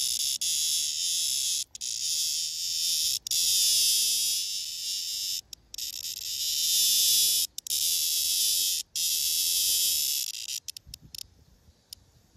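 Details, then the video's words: Blackish cicada (말매미): a captured male clasping a female sings a loud, steady, high-pitched courtship serenade broken by brief pauses, and gives a crackling buzz when pressed, as if protesting the disturbance. "말매미 뚜(사랑 만들기"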